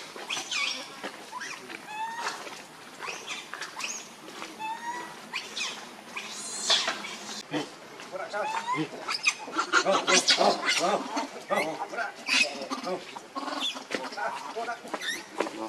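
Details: Baby monkey Leo, also called Rainbow, hungry and angry, crying to beg its mother for milk: repeated shrill, wavering squeals and short rising-falling whines, many overlapping in quick bursts, with rustling and background noise.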